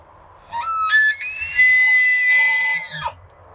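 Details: A bull elk in Jasper National Park, Canada, bugles: a rising, flute-like whistle held high, then dropping sharply at the end.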